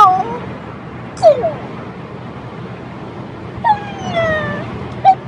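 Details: A French Bulldog 'talking' in short bursts: brief falling whines and a few sharp yips, scattered over a few seconds with quiet gaps between.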